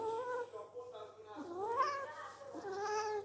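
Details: House cat gives soft, wavering meows that rise and fall, heard under a woman speaking Persian indoors.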